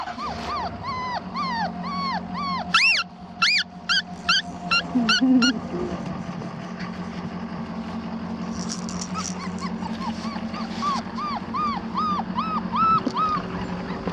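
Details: Four-week-old black tri female Australian Shepherd puppy at a breeding farm in Oklahoma gives high, arched whimpering yips in quick runs, pausing mid-clip before a steadier string of softer whines over a constant low hum.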